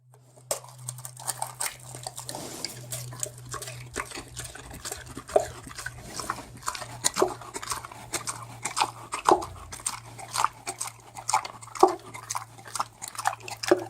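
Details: Pig eating: a rapid series of sharp, crunchy chewing clicks and wet smacks, irregular and sometimes clustered, over a steady low electrical hum.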